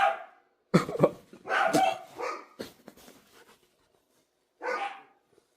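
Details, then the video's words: Loud, ragged run of dog barks, several crowding together in the first three seconds, then a pause and one more bark near the end. "If you like dogs making noise"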